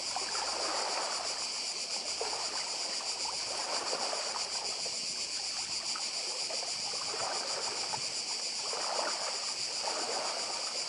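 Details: Seaside cicadas on Badija, Croatia, keep up an even high buzzing without pause while waves swell and fade in soft surges below.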